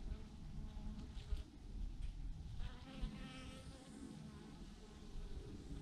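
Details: Thousands of bees in a swarm, hanging in a massive clump on a branch; a low, steady droning hum fills the clip with soft rumbling underneath and no clear other sounds.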